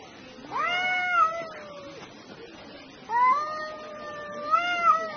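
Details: Two cats fighting at noon: two long, drawn-out harmonic yowls, each swelling and wavering in pitch before trailing off, separated by about a second of quiet, over faint background hiss.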